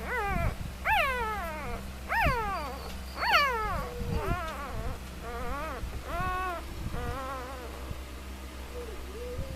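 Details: Three-day-old puppies whimpering in their sleep, as if dreaming of chasing rabbits: about seven high, whiny cries, each sliding downward in pitch, coming roughly once a second, over a steady low hum.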